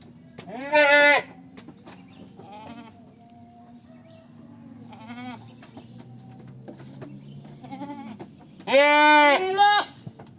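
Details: Goat bleating: two loud, harsh, quavering bleats near the start and end, about eight seconds apart, with several quieter, shorter bleats in between.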